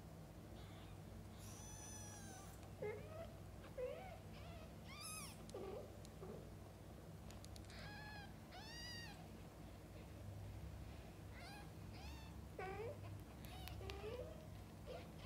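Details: Domestic cat, a mother feeding and bathing her kittens: many high, arching mews in quick bursts, some overlapping, mixed with lower bending meows, over a steady low hum throughout.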